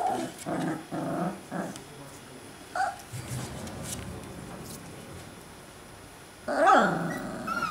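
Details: Alaskan Malamute pups from a 2012 litter, outside the whelping box: three short rough growls in the opening two seconds, a brief yip, a quiet stretch, then a loud harsh growl with a rising squeal near the end.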